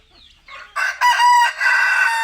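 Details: Young fighting gamecock, an Asil cross about eight months old and near 3 kg, gives a short, loud crow: a sharp rising start, then a strained, steady, harmonic note.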